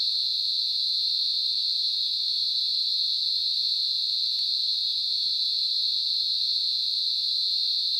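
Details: At night, a cicada gives a steady, high-pitched electric buzz that never breaks or changes.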